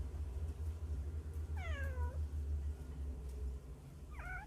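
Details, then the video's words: Stray baby cats hiding in a hole, crying from hunger, captured by phone; one long, clear, downward-sliding meow, then a shorter, flatter cry, with a constant low humming background. "구멍 안에서 나는 배고픈 아기 고양이 울음소리 몇 마리나 있을까? How many hungry baby cats cries in the hole?"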